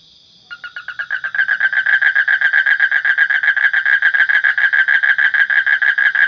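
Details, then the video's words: Frog beginning to call after a moment of quiet, its pulsed rasping croaks quickly building in loudness into a steady rapid series of several per second, accompanied by a thin continuous high hum. "Suara Kodok / Frog Sound"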